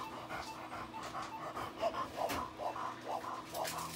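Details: A female Labrador Retriever with laryngeal paralysis breathes harshly and noisily, rasping in quick repeated pulls; the disease is an abnormal opening and closing of the vocal cords.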